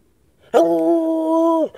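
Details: An excited Treeing Walker Coonhound howls for a ride to the store to get food, giving one steady, level howl lasting about a second, rich and resonant.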